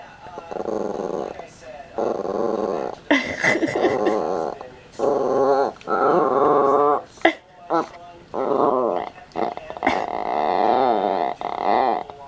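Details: Old Yorkshire Terrier indoors making long, wavering, grumbling growls in several drawn-out bouts with short pauses, while a person talks to her in Danish between and over the sounds.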